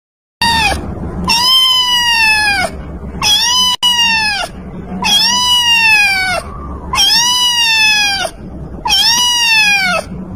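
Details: Cat crying: loud, long drawn-out wailing meows with bright harmonics, each about a second long, falling slightly at the end, five cries repeated about every two seconds with short gaps between.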